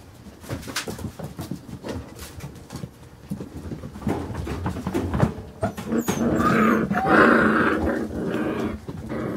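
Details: Playing Carolina Dog puppies aged five weeks four days make rapid scuffles and low growls, building into a loud, sustained whining yelp in the second half as the rough play peaks.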